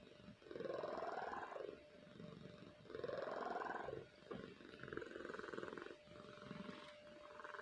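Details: Pet cat Kahfi in sound sleep, snoring: raspy, purring-like breaths in and out, two stronger rising snores then softer ones, with a steady background hum.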